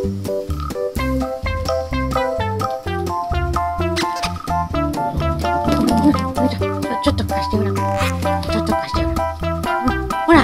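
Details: Lively swing-style guitar and bass music fills the whole stretch, with no barking or other animal sound.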